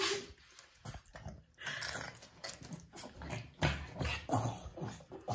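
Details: Two Boston Terriers fighting without a reason: rough throaty growls and snarls in uneven bursts, with short whimpering notes and scuffling noises between them.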